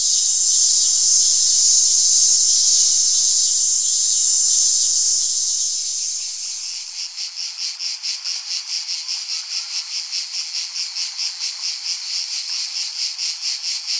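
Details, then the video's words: Cicada sound shifting from a smooth, continuous high hiss into a rhythmic pulsing buzz after about six seconds, the pulses coming roughly twice per second. "Tiếng ve sầu kêu || The sound and picture of the Cicada"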